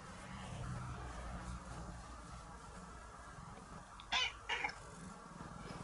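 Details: A cat being brought up as a fully indoor cat meows sweetly while clinging affectionately to its owner. Two short, clear meows come close together near the end, over a quiet room hum.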